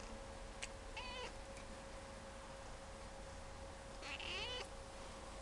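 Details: Domestic cat at a Sendai, Japan cat café, chatty and greeting: two meows, a short one followed three seconds later by a longer wavering rise-and-fall call, over a constant background hum.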